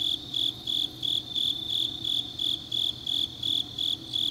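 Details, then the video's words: Autumn grass insects on a deep night in Changnyeong, South Gyeongsang, Korea: a high, bright chirp repeated in regular pulses about three times a second, steady throughout, with a faint low hum beneath. "깊은밤 가을 풀벌레 소리"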